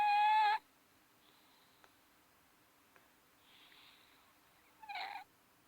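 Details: Nancy Pants, a pet cat, snoring while deeply asleep indoors. A brief loud tonal squeak opens, then soft breathy snores come in long, quiet pulses, ending with a short rough snort.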